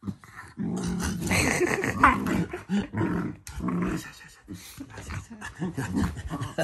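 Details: Shiba Inu dog growling affectionately, not in anger, toward its family owners indoors; rough rumbling growls broken by short yips and grumbles in irregular bursts, with a person's laughter nearby.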